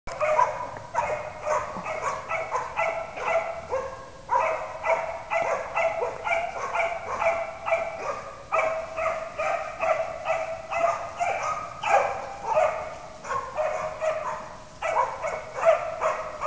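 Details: Two Slovak hounds in a small enclosure bark steadily, loud, ringing barks tumbling in quick bursts with short pauses near four and fifteen seconds, the two voices overlapping at times.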